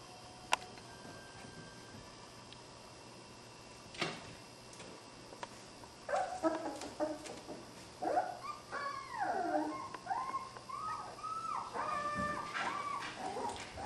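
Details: Puppies of a dog named Skar playing and wrestling together; after a quiet start, a run of high whining yips and squeals begins around six seconds and continues in overlapping bursts, with a few sharp knocks.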